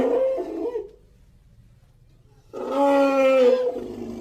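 An elephant gives two loud, brassy trumpeting blasts, separated by a pause of nearly two seconds.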